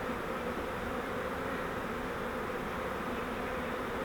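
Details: Honeybee swarm caught in a flowerpot-style fiber swarm trap, being moved into a Langstroth hive: a dense, steady hum of many bees holds without break, broad and even, with no other sounds standing out.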